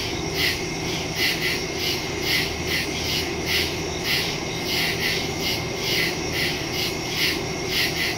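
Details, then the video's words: Crickets in woods at night, recorded September 2, 2023 on a Samsung Galaxy S22 Ultra phone with a Shure MV88+ stereo microphone; high, rapidly pulsing chirps repeat several times a second over a steady low rumble. "Crickets in the woods at night"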